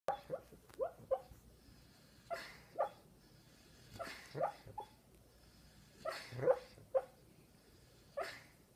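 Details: Tucker, a puppy, dreaming in his sleep: short muffled yips and whimpering woofs in irregular bursts, sometimes two or three close together and separated by quiet pauses of a second or more, with soft breathing in a quiet room.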